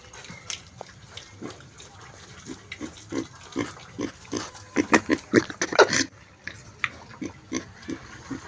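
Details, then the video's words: Domestic pig grunting in short, repeated low grunts, about two per second, building to a louder, denser burst near the middle and then easing off, with faint background noise. "Funny noise of piggy sound"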